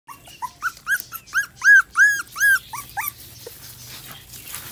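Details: Bangkaew dog puppies whimpering: a rapid run of high, arched whining cries about three a second, swelling louder toward the middle then fading into softer, scattered whines and background rustle.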